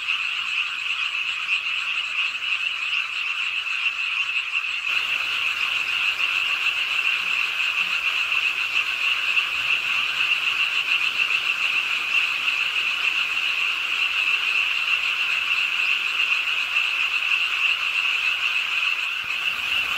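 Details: Frogs calling together from a city park pond in Suwon, South Korea, during rainfall late at night; continuous rapid croaking merges into a shrill buzzing wall of sound, a little thinner in the first five seconds, over a rain-like hiss.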